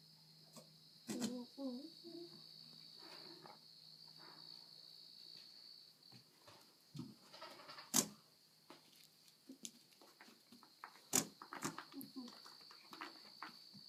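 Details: A goat gives wavering, nasal bleats at irregular intervals over a steady electrical hum; at one point it tried to mount its owner.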